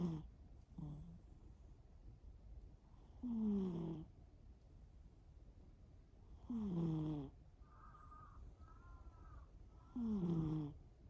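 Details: Snores of the sleeping cat Shimao come in slow buzzy bursts about every three seconds, each dipping slightly in pitch, with a soft higher whistling breath between them and faint low hum.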